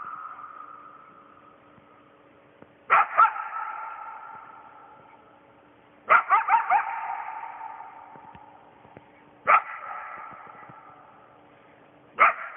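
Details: Single coyote near a house at night, howling for its pack: four separate howls about every three seconds, each starting with a sharp wavering burst and then fading away in a long, steady, tonal tail, with quiet stillness between them.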